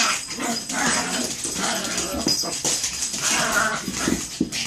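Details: Chihuahua fighting indoors: steady stream of squeaky whines, yelps and short barks with little pause, a voice faintly audible beneath.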